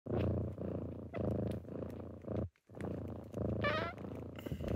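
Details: Kittens purring in the morning as they wake their owner, a loud close rumble in pulsed bursts with brief breaks, one short high rising squeak near the end and a sharp rustle at the close.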